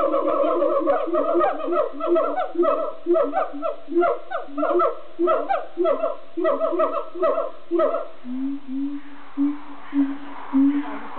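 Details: Captive siamangs singing at Dierenpark Amersfoort zoo in the Netherlands: a rapid run of loud, harmonic hooting barks repeated about twice per second, then slower, lower booming notes toward the end.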